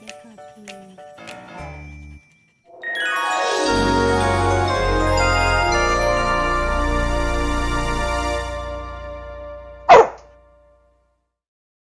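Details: Soft chiming notes and a rolling jingle swell into a sustained bright musical chord, ending with a single sharp bell-like strike and then fading to silence.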